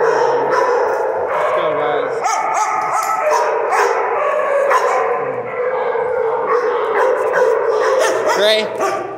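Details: A group of dogs, among them Coco and Amber, vocalizing together in a busy chorus of overlapping yips, barks and drawn-out whining tones, with people talking over them throughout.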